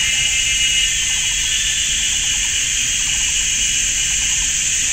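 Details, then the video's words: Summer forest at GuanYin Shan in Taiwan on a sunny Sunday afternoon, ear-deafening cicadas: an unbroken, shrill, hissing drone layered in two high bands, with faint chirps beneath. "GuanYin Shan Forest and Cicadas"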